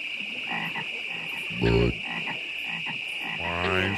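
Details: Frogs croak non-stop at Great Falls National Park in McLean, Virginia, in deep, buzzy, harmonic bursts over a steady high-pitched drone.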